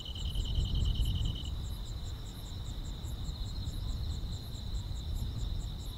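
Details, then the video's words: Summer-night grass insects in a calm countryside setting. A rapid, even trill in the upper range lasts the first second and a half. A continuous shrill hum and quick high ticking pulses follow, over a soft low background rumble. "여름밤의 포근한 풀벌레 소리"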